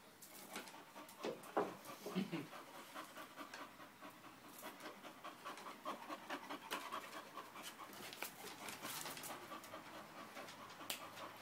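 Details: English bull terrier panting in quick, breathy, irregular bursts, roughly a hundred a minute, with a low grunting snort near the second second and faint room noise throughout.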